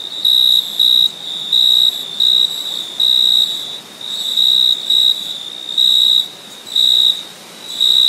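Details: Crickets chirp on a summer night in high, pure, ringing bursts, each lasting under half a second and repeated steadily.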